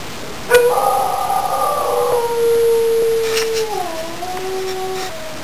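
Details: Two-year-old female mid-to-high content wolfdog howling for her son, who went into the house to play without her. One long, smooth, sustained howl holds a steady pitch, then drops lower and wavers before fading after about five seconds.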